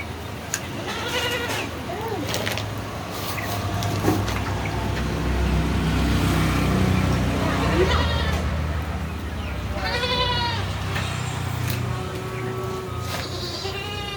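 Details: Beetal goats at a goat farm in Roorkee, giving wavering, harmonic bleats at intervals over a steady low engine-like hum, with people talking in the background.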